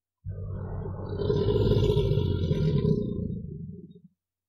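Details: An American alligator in a river gives a deep, rumbling bellow that swells and fades over about four seconds, the kind of call both sexes use to attract mates and declare territory.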